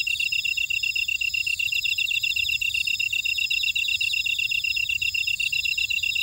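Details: Buckwheat-field insect chorus from Ora-dong, Jeju City, Jeju Island, South Korea: fast, evenly pulsed high chirping runs without pause, overlaid by fainter sizzling upper trills from other callers; a continuous, unbroken wall of sound.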